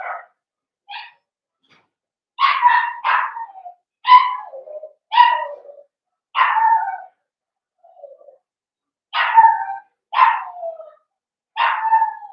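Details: Five-puppy blenheim Cavalier King Charles Spaniel litter in a puppy pen: a steady series of bright yelping barks about once a second, many ending in a short downward whimper, with a brief pause midway.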